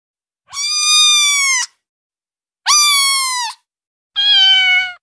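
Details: Female kitten meows meant to attract cats: three high, clear, sustained mews about every two seconds, the first two steady and bright, the last slightly lower and falling, against silence.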